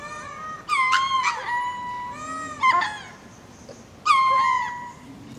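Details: At Berenty Reserve in Madagascar, a ring-tailed lemur going to roost gives spacing calls: long, nasal, mewing wails that open abruptly and level off, repeated three times about every one and a half seconds.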